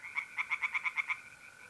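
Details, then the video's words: A tree frog on an April night at a pond in north-east Italy gives a quick series of seven sharp croaks, evenly spaced, above a steady background trill of mole crickets. "relaxing singing tree frogs in pond"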